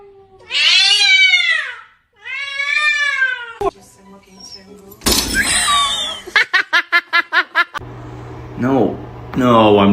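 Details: Domestic cat in a funny cat compilation giving two long, drawn-out meows, each rising then falling with rich harmonics, followed by bursts of music, laughter, rapid clattering taps and human speech in an indoor room.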